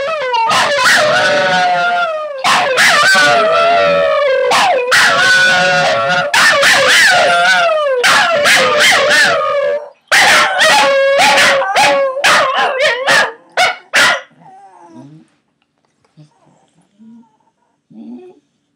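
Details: First-ever howling session by three family Scottish Terriers: dense overlapping howls and rapid yips for about fifteen seconds, then the chorus trails off into quiet whimpers.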